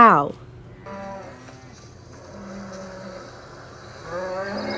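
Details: Cow mooing: a long low lowing call drawn out over several seconds, steady and slightly wavering, preceded by a brief falling tail of another sound and followed by a rising bray-like onset at the end; faint background hum throughout.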